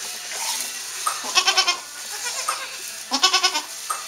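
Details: Newborn Saanen/Alpine kid goats just after birth on a hobby farm in May 2012. Two tremulous, quavering bleats, each a rapid run of wavering pulses, with shorter softer cries between and steady low hiss behind.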